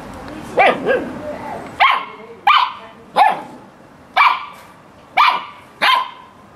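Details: Samoyed barking during a spell of serious playtime, in a home where cats and dogs mingle; about eight sharp, bright barks, first a quick pair, then single barks roughly every 0.7 to 1 second, each with a ringing tail.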